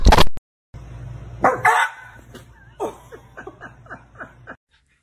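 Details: Dog described as angry, from a funny dog reactions compilation: a sharp bark, then a run of short, quiet yips with falling pitch, about seven in quick succession, over a steady low hum.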